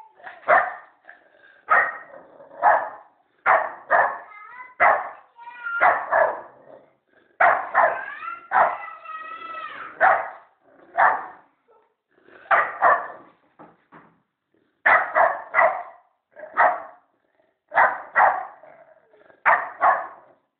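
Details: American Staffordshire Terrier puppy keeps up a running bark: loud, rough woofs come singly and in doublets every second or so, with a drawn-out whining yodel near the eighth second, in a quiet room.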